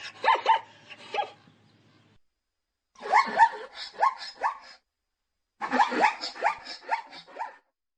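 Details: Zebra calling in three bursts of rapid, hoarse, yelping barks, each burst holding four to six harsh notes with short pauses of silence between the bursts.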